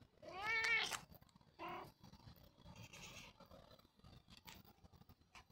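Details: Expressive house cat Roger meows twice: first a longer, rising-then-falling meow, then a shorter, softer one, followed by quiet rustling and faint clicks.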